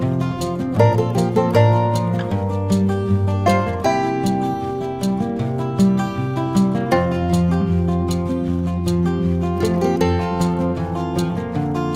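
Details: Plucked guitar music with a steady rhythmic strum and deep bass notes plays throughout, and no animal sound is heard.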